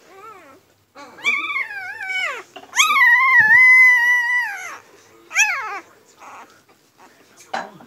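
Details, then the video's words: Newborn Siberian husky puppies from Liv's litter, born March 25, 2017, cry with high, harmonic-rich whines: a few short squeals, then a long drawn, wavering wail lasting nearly two seconds, followed by brief falling yelps and faint whimpers. "Siberian Husky Puppy Litter"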